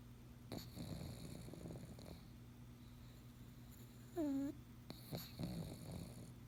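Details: Sleeping pug gives a raspy, low snore lasting over a second, followed by a short high whining squeak and a softer snort near the end.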